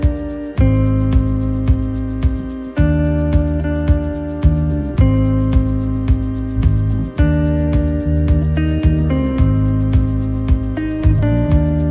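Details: Gentle instrumental music with steady sustained tones and regular soft beats plays throughout, with no animal voices present.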